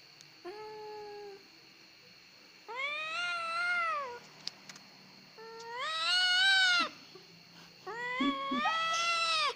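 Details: Domestic cat crying, described as a cat that cries easily (kucing gembeng), giving four drawn-out harmonic meows of rising-then-falling pitch, each one to one and a half seconds long, the later ones louder, with a steady high background hum indoors.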